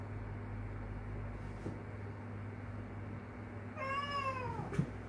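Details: Single short falling meow near the end from a kitten calling its stray mother cat Kkandori, heard through heavy low droning noise, followed by a brief knock.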